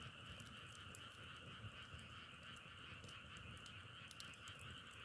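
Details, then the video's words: A frog chorus forms an unbroken, even trilling drone in two pitch layers, while occasional snapping crackles from a wood fire punctuate it. "자연의소리 장작타는소리=개구리소리"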